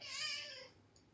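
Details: Pet cat meowing once, loud at the onset and gradually trailing off over roughly seven tenths of a second, with a faint tick afterward.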